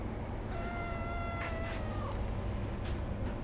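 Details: Begging cat at a Sendai cat café, where older cats and kittens pester for treats, gives a long, steady, tonal meow lasting about a second and a half that dips at its end, over a low indoor hum.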